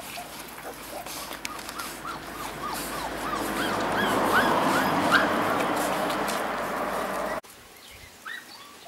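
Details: Golden Retriever puppies of about 8 kg from one litter whine steadily in a rapid series of arched, rise-and-fall squeaks, roughly three per second, over a rushing background noise that stops abruptly near the end.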